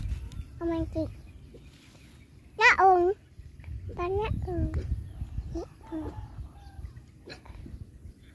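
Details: Repeated short whining yelps from a bullied dog, some rising then dropping in pitch, the loudest burst near the third second, with more scattered cries and low background rumble throughout.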